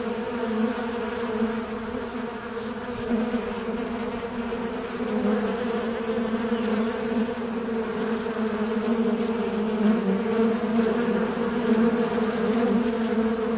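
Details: A fly drones on in one long, unbroken, low buzz with overtones. It grows slightly louder after the first few seconds, its pitch gently undulating, with a few faint ticks behind it.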